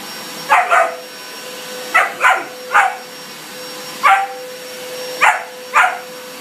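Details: A German Shepherd puppy that dislikes the vacuum barks at it: six sharp, yappy barks spaced about a second apart, some doubled, with a constant mechanical hum underneath.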